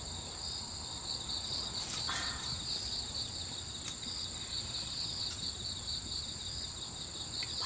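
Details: Crickets calling at night around a campsite on Ganghwa Island, South Korea, during a camper's meal; unbroken high pulsing chirps repeating quickly, accompanied by another high steady insect band, plus scattered clinks and taps of dishes and movement.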